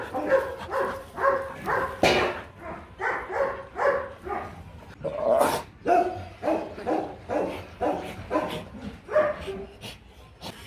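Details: Rottweiler pair Marvin Gervi and Kacyno Gervi, male pursuing the female for mating in Hanoi, Vietnam; a long run of rhythmic whining yelps roughly twice per second, interrupted by a couple of loud thumps or clatters.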